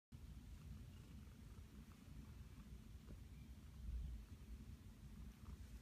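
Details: Flower, a pet cat, purring happily while nestled in a blanket nest; a steady low rumbling purr fills the whole recording with an even rhythm, close to the microphone, with no other clear sounds.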